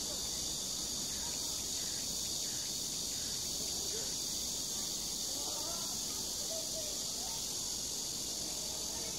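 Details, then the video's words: Cicadas singing in summer at Sosa Grand Park in Bucheon, Korea: a steady, dense, high hissing buzz that holds unbroken throughout, with faint low background rumble beneath. "매미 소리"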